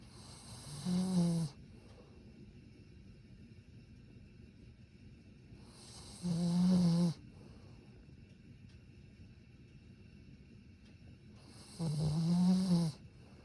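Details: Modest snoring from a sleeping Satsuma beagle: three low, rumbling snores roughly every five and a half seconds, each around a second long with a faint hissing breath edge, quiet in between.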